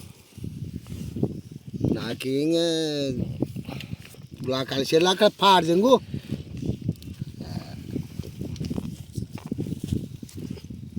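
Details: Sheep held down for treatment of an eye ailment that leaves it unable to see, giving a quavering bleat of about a second, then a wavering, trembling bleat after a short pause, amid men's voices and handling noises.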